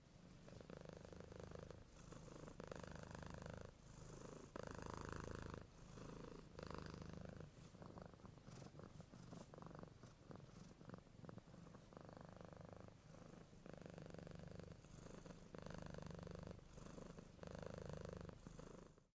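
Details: Domestic cat purring: deep, rumbling low purr in rhythmic surges, each inhale-exhale pulse lasting about a second with short gaps between, steady throughout and close up, no other sounds.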